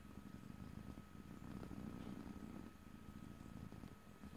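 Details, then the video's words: Pet cat purring in stereo without talking, a continuous low vibrating rumble that swells slightly in the middle and then eases off. "ASMR Cat: Purring #5"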